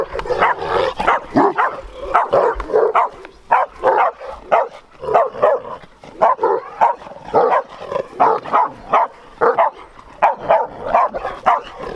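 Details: Powerful-tempered, large Bucovina Shepherd Dog recorded in 2021 giving a long, steady series of hoarse barks, about two per second, often in quick doubled pairs, with little else audible.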